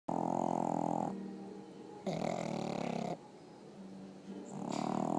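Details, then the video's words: Pugs sleeping in bed, snoring loudly: long rasping snores with a dense buzzy harmonic stack, alternating with quieter breaths, roughly one snore cycle every two seconds. "My pugs snoring!"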